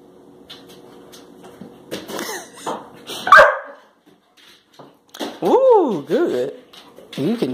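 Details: Labrador Retriever puppies Josie and Jackson, jumping up for a banana held above their heads, recorded March 21, 2018. Rising-and-falling whiny yelps cluster near the end, after a short bark, with human voices and scuffling indoors.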